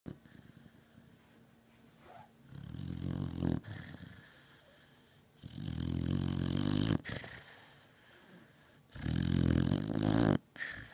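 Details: Beagle named Batman, a pet dog in deep sleep, snoring loudly: three long, deep, rasping snores about three seconds apart, each lasting over a second, with quieter breathing between.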